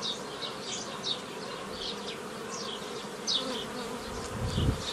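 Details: Honey bees swirling around hives as a beekeeper splits a swarm into nucleus colonies in May 2018; repeated quick buzzing fly-bys over a constant drone, with a dull low thump near the end.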